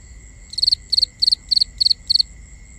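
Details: Crickets calling at night, binaural recording: a loud cricket gives six evenly spaced chirps, each of three or four quick pulses, about every third of a second, over a steady high background trill from other insects.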